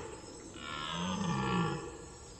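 A red deer calls once with a deep, hoarse, harmonic moan lasting about a second, rising slightly before falling away. The call is a search for a missing companion, heard against faint background hiss.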